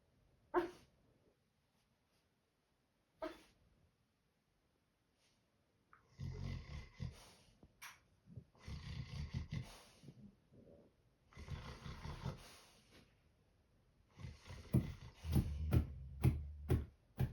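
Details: Sleeping dogs snoring, with rough, breathy low rumbles in long drawn stretches every few seconds after a quiet start with two faint clicks, the later rumbles more broken and rasping.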